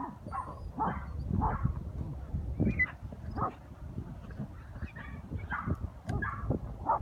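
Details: Young Patterdale terriers, including a 10-week-old puppy on its first hunt, yapping at an armadillo holed up underground; scattered high, thin barks and whimpering yips over a steady rumble of scuffling and ground noise.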